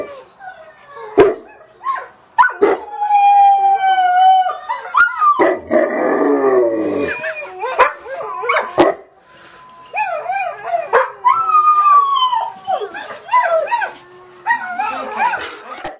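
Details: A Black Russian Terrier and a Wheaten Terrier/Poodle mix howling as a pair, one low like a bass, one high like a soprano: long wavering, rising and falling howls with shifting, yodelling high notes, short breaks and occasional sharp clicks.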